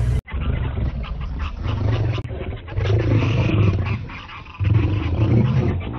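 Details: Male lions battling for a lioness, giving deep rumbling roars and growls, low and rough, swelling in uneven waves with a sudden loud surge near the end.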